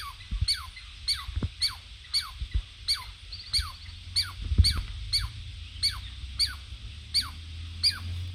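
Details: Wild Douglas squirrel at a forest sanctuary, sounding its loud alarm to warn of an intruder or predator: a steady series of about thirteen sharp, falling chirps, roughly two per second, with low background rumble.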